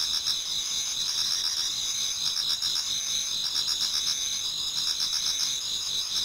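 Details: Dense autumn insect singing from a garden in Japan near dawn, high sustained ringing trills overlaid with quick pulsed chirps and repeated lower rattling bursts, a constant layered chorus.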